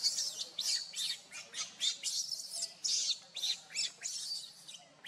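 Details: Shrill, breathy squeaks and screeches from baby monkey Luno beside his unwell mother Luna, in uneven bursts of one or two per second throughout, with a low steady hum underneath.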